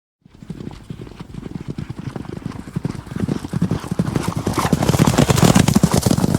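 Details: Horse (Equus caballus) hooves clip-clop in a quick, steady rhythm that grows louder as the animal approaches.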